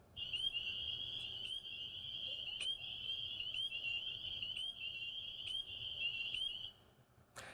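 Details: Spring peepers in forest in Columbus, Ohio, in spring breeding season, at night: a dense, deafening chorus of loud ascending peeps forming a shrill wall, with short, sharp rising notes standing out; finding: spring peeper.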